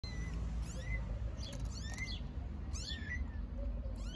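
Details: Newborn stray kittens in Istanbul, out of their nest for the first time and playing outside in nice weather, give thin, high, short mews, some rising, over a steady low rumble of background noise.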